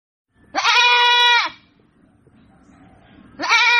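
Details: Goat giving two loud, steady bleats, each about a second long with a rich harmonic tone, separated by a quiet gap of roughly two seconds with soft low rustling.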